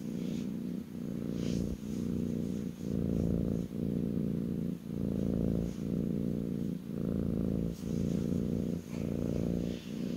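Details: Purring kitten resting on a lap indoors, a strong low rumbling drone in even breath-length pulses about once a second, nearly free of other sounds.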